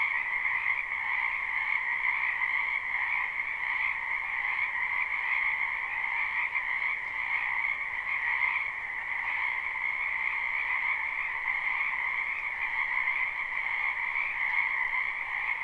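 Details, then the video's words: A wetland full of frogs in springtime, recorded live behind a home: constant trilling croaks massed into a bright, two-banded chorus with small rhythmic surges and nothing else audible. "Ambient Noise for Sleep Frogs"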